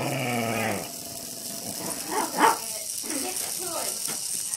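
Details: Two pet dogs barking at a hexbug toy and flipping it over, giving a few short, sharp barks in the middle of the stretch, with a person's voice at the start and steady background hiss.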